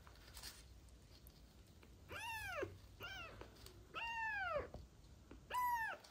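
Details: Sick street kittens, found abandoned in a box, suffering ringworm, trichomonas and festering eyes while learning to feed from a bottle; four arching meows, each rising then falling with bright harmonics, spaced about a second apart in a quiet small room.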